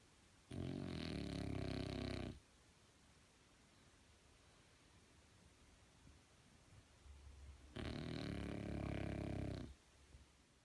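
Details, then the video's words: Snoring French Bulldog: a pair of loud, buzzing, rattling snores near two seconds long, spaced about seven seconds apart, separated by near silence. "Frenchie Snoring"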